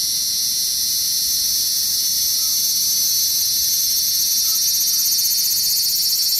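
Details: Shrill high cicada drone, very loud and unbroken, turning faintly throbbing and pulsed toward the end. No birds, voices or other distinct sounds.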